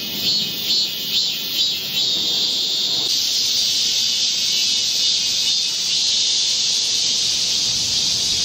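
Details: Heatwave chorus of Korean cicadas in a midsummer forest, 25 July 2024: a few pulsing buzzy swells open, then a loud unbroken high-pitched drone takes over.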